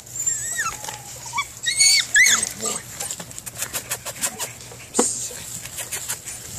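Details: Six-week-old male Belgian Malinois puppy, sired by a KNPV PH1 stud, during bite imprinting; brief high whining squeals with rising and falling pitch early on, then scattered clicks, scuffling and handling noise.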